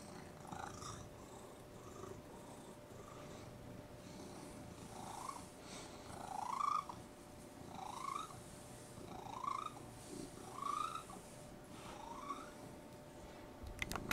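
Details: Purring house cat giving small upward-sliding squeaks, faint at first then clearer, about seven in a row spaced near one and a half seconds apart, over a low purr and faint hum, ending with a click.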